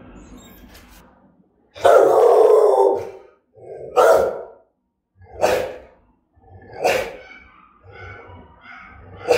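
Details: German-type Rottweiler barking threateningly: a long rough bark followed by four shorter, hoarse barks spaced about one and a half seconds apart, each dropping off sharply, with brief quiet gaps.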